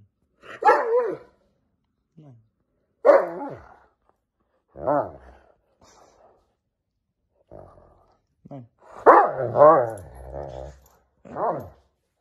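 A Dobermann grumbles and moans in short, wavering bursts, vocally protesting against going outside.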